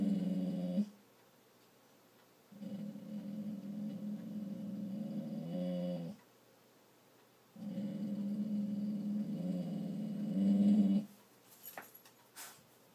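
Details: Dog trying not to bark, growling inside a room: three long, low rumbling growls of several seconds each separated by silences, ending with a few faint clicks.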